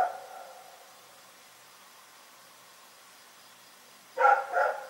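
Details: Night barking from the dog Rex: a fading bark tail at the start, a long silent gap, then two quick loud barks close together at the end.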